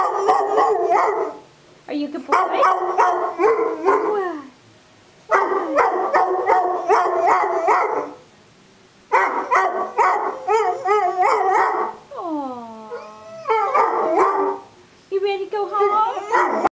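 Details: A pet dog "sings" in choppy, yodelling bursts of rapid, broken howls and bark-like pulses in phrases of about two to three seconds. A smoother downward-sliding howl comes near the end, and human voices are mixed in.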